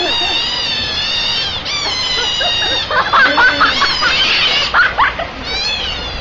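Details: Several hungry otters give long, high, wavering squeals, then a burst of shorter, choppier squeaks and chirps in the middle before the drawn-out whining resumes.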